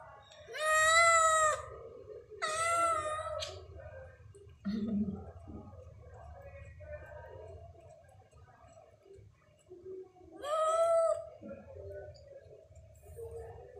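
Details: Stray cat at night, 22:39, meowing three times in about thirteen seconds, each call a long wavering wail, with softer murmuring sounds, a brief low thud and quiet background noise between calls.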